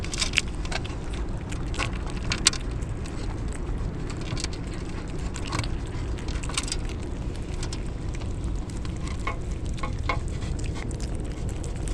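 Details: Steady heavy rain and patter fill the recording, with sharp clicks and sizzling splashes throughout and no clear animal call standing out.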